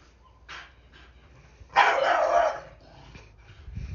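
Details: Pet blue Staffordshire Bull Terrier frightened by a broom and scolding it: a faint short bark, then one loud, rough, drawn-out bark lasting under a second, followed by quiet shuffling.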